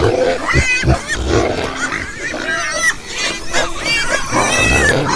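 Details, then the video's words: Farm pigs squealing in high, wavering tones over repeated low grunts, the shrill calls coming in bursts across the whole stretch. "listen to the sound Pig - pigs - pig sound"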